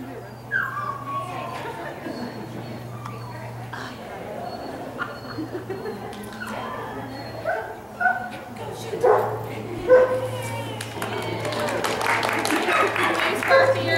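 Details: Kirby, a dog running starter jumpers on March 29 2015, gives high falling whines and short excited yips at irregular intervals, with people talking over them and a steady low hum throughout.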